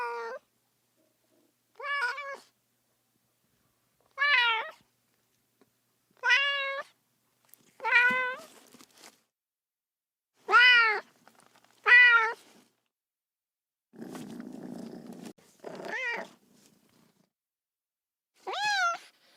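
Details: Lonely baby cat calling for its mother with a steady series of short, bright meows about every two seconds, each arching up then dropping, plus a brief soft rustling noise partway through.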